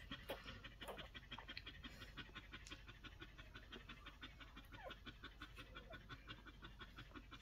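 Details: Week-old Collie pups panting: rapid soft puffs of breath repeated nearly three times a second, fairly even in rhythm, over a low background hum.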